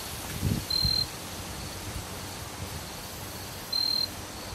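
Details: A jumping bush cricket singing from an oak in southern Iowa gives short, clear, high-pitched trills about three seconds apart, each about a third of a second, with a couple of soft low thumps near the start.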